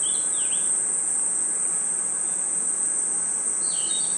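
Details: A forest at night with an unbroken high-pitched cricket trill held at one level throughout, plus a quick swooping bird chirp near the start and another brief twittering call at the end.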